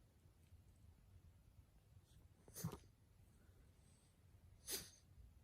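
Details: Dog with mild bronchitis coughing indoors: two short, harsh, breathy bursts about two seconds apart, with a quiet room hum throughout.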